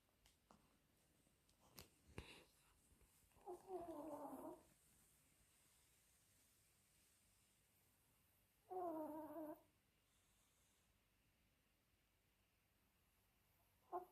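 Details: A pet Chihuahua snoring loudly: two wheezy, tonal snores about five seconds apart, each lasting roughly a second, with a short final snort at the end and quiet breathing gaps between.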